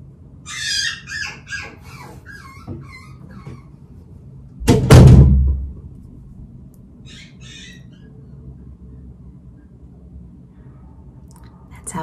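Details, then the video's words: Poodle puppy named Winter crying at night during training, very vocal: a run of high, thin, wavering whimpers over the first three seconds, then a loud thump like a door opening, then a brief faint whine later. "How I stop my puppy from crying at night"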